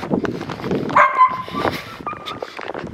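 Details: Laika hunting dogs in a snowy winter yard in cold, windy weather, excited as their owner arrives with treats. A high, drawn-out whining yelp is followed by shorter yips, with a man talking nearby.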